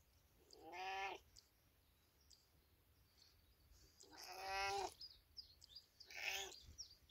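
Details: Village cat calling three times, each a tonal, drawn-out meow under a second long, the last shorter and higher, set against a low steady background hiss.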